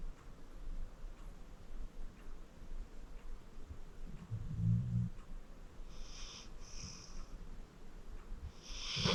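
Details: Deep-sleeping 14-year-old pit bull Acorn, adopted from Cuyahoga County Animal Shelter, lets out a low guttural snore midway, followed by brief whistling, hissy breaths through the nose.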